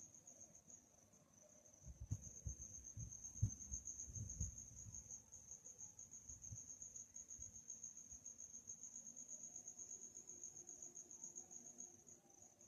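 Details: Crickets chirping at night in a calm setting: a continuous high, shimmering trill holds steady throughout, while low dull thumps and knocks break in around the second to fifth seconds.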